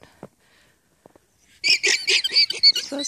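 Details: Squeaky alarm chorus from alpacas at a farm in Unity, Maine, reacting to a fox on a snowy-forecast morning: near silence with a few soft thumps, then a sudden, rapid burst of shrill, chattering squeaks.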